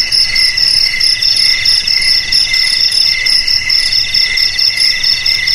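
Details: Cricket chorus of shrill, high ringing trills layered at several pitches, pulsing steadily in rapid chirps with no pauses; no other sounds stand out.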